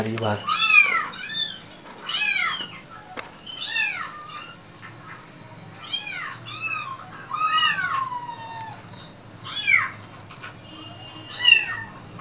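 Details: Indoor Persian cat, described as angry, giving a run of about eight strained, downward-arching meows spread across twelve seconds. A few soft clicks and murmurs can be heard in the background.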